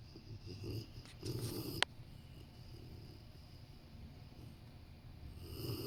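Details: Large Rottweiler asleep next to someone working on a sofa, giving a couple of low, breathy snore sounds early on, then a sharp click and near silence before another soft breath begins.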